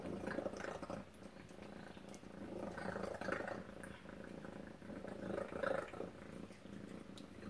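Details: Tacy, a domestic cat, purring during breakfast inside a small room: continuous low buzzing rumble that rises and falls gently across the clip, with occasional faint clicks and drip-like sounds.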